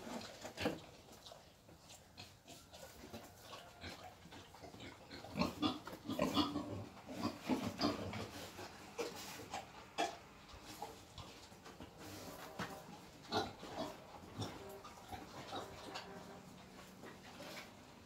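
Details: Wild boar being taken for mating, giving irregular low grunts and snorts in clustered bursts, loudest around the middle, over steady background noise and scattered knocks.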